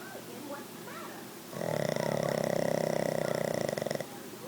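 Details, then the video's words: A sleeping Pug named Bruce snores at home. Soft, faint room sounds come first, then a single drawn-out snore of roughly two and a half seconds, a vibrating, pulsed drone that stops abruptly. "Hear Bruce Snoring"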